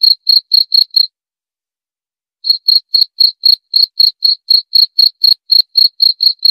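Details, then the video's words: Cricket giving quick high-pitched chirps about four per second, breaking off after one second for a silent pause of roughly a second and a half, then resuming the same even pulsing to the end. "Suara Jangkrik"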